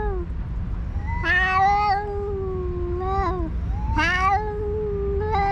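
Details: On a cat island, rival alpha stray cats quarrel vocally during a feeding; drawn-out, quavering yowls slide up then down, overlapping one another in two long bursts, with a low background rumble.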